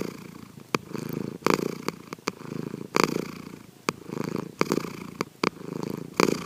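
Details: Asleep at home, the cat Sankichi gives soft snores captured covertly: quiet, grainy low rumbles rising and falling every second or so over steady background hiss, with sharp little clicks between breaths.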